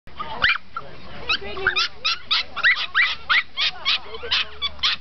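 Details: Norfolk Terriers with clubmates getting ready for the start at a 2008 terrier racing day at Duindigt Course in Wassenaar, Netherlands: rapid high yapping barks several per second, with people talking underneath.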